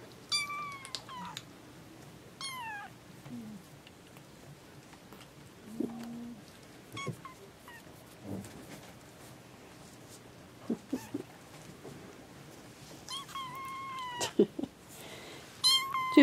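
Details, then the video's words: Young domestic kittens, newborn litter kept indoors beside their recently delivered mothers, repeat thin, high-pitched meows that slide downward, arriving in bursts at the start, around the middle-late section and the very end, with soft thumps and rustling between. "bébés chatons"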